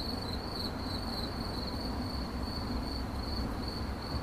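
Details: High, thin cricket chirps in 8D audio, slightly drawn-out pulses following one another steadily at a fixed pitch, with a soft broadband rumble underneath.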